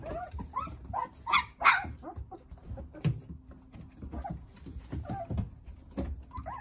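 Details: Jindo puppies, nine of them, playing while cared for by their mother Sarang: short scattered whimpers and squeaky yips rising and falling, with thumps and shuffling noises between calls.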